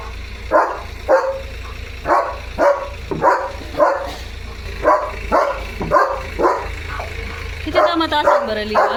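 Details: German Shepherd Leo barks repeatedly at a tractor in front of the house, loud regular barks about twice a second, a man talking to him near the end over steady background rumble.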